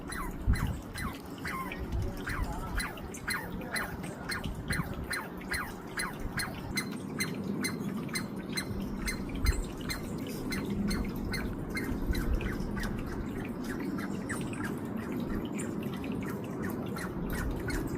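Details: A Douglas squirrel (Tamiasciurus douglasii) named Mila, recorded 20 July 2025, gives a fast, steady run of sharp, dry chirps over a low rumbling background.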